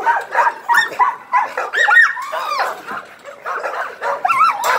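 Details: American Pit Bull Terrier. An American Pit Bull Terrier gives a run of high, nasal whines and short yelps, each bending up and down in pitch. The bursts come irregularly, roughly one or two each second.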